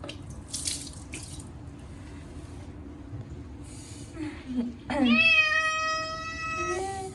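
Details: Short-legged Munchkin cat crying out at bath time, its first wash in a year with catnip cat shampoo: splashing and a woman's soothing voice, then one long, loud, steady wailing meow lasting nearly two seconds over tap water.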